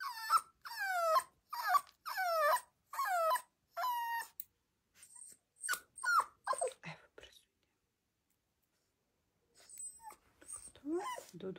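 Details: Rottweiler puppy during nail clipping, yelping in a quick series of five sharp, bending whines over four seconds, then quieter scattered squeaks, a pause, and a few more soft cries.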